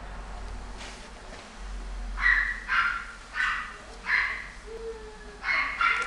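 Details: American Shorthair cat giving a series of short, loud meows, each about half a second long, spaced roughly one second apart, with a faint low background hum.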